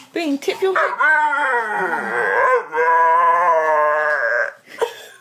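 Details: Pet dog vocalising in a drawn-out, human-like 'talking' way: a sustained harmonic whine-howl of about four seconds that wavers and bends in pitch, preceded by short yelps and ending with a brief sharp cry.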